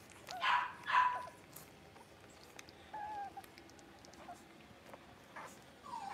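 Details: Indoor pen of five young blenheim Cavalier King Charles Spaniel puppies practising barking and howling: two quick high-pitched yaps about half a second apart, then quiet soft whimpers and a thin rising whine at the end.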